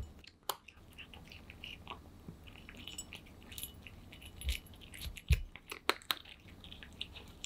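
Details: Aman, a pet cat, eats kibble in a small indoor room. Crunchy chewing comes in soft bursts, building to sharper, louder bites near the end, with faint clicks and a quiet room background.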